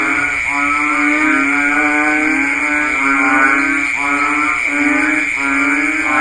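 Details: Banded bullfrogs (Kaloula pulchra) in the rainy season give deep, droning, nasal calls that overlap into a steady lowing chorus.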